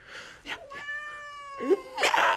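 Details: Angry cat from a compilation of pet reaction moments: a long, steady, tonal meow held about a second, then a short dipping cry and a harsh, noisy outburst at the end.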